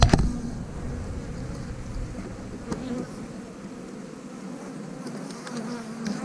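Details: Honey bee colony humming during a hive inspection as frames of brood are pulled out, a steady low droning buzz throughout with a brief louder knock at the start.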